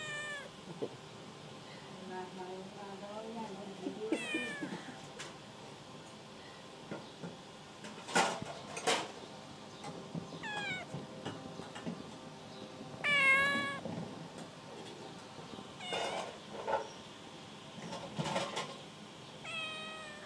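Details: Domestic cat meowing repeatedly indoors, drawn-out wavering calls roughly every few seconds, some rising and falling, interspersed with sharp knocks and clattering handling noises over a faint constant hum.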